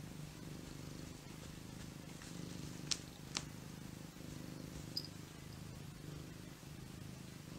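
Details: Idle, lazy cat resting; continuous deep purring hum with gentle pulsation, broken by two sharp clicks near the middle and a light tick later, over steady hiss.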